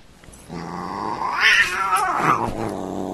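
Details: Domestic cat giving one drawn-out, growling yowl that swells in pitch and loudness midway and then sinks again, rough and harmonic throughout, in a quiet indoor setting.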